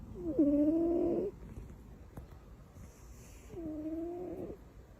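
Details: Sleeping cat Butters, tucked in like a baby, gives two drawn-out tonal snores about three seconds apart, each lasting roughly a second with a faint nasal whistle, in a quiet room.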